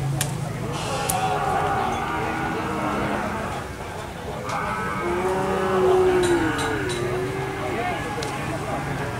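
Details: Cattle: a collapsed cow that will not get up is coaxed to its feet. Low drawn-out lowing has a clear wavering tone that peaks in the middle. Scattered clicks, handling noise and distant voices are heard throughout.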